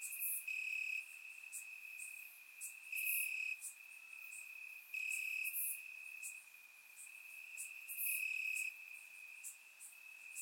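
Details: Crickets chirping in the grass on a warm summer night in Bulgaria, recorded with a surround microphone; a steady high trill runs throughout, with louder bursts of pulsed chirps swelling every two to three seconds and faint higher insect clicks.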